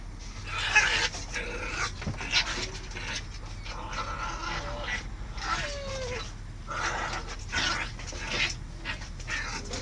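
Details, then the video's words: Aggressive Samoyed dog fighting with his brother: a steady run of rough, breathy growling and panting with short whining slides, scuffling noise throughout. "agressive samoyed fights with his brother"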